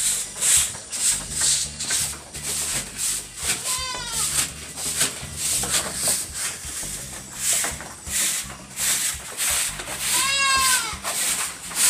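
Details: Anglo-Nubian goat on a goat farm at milking time: two wavering, harmonic bleats about six seconds apart, heard over steady rhythmic hissing squirts with faint music beneath.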